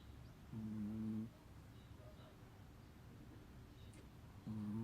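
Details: Biisuke, a big Chihuahua, snores while napping in the daytime: two low, rough, buzzing snores, one longer near the start and one cut off at the end, with a quiet pause between.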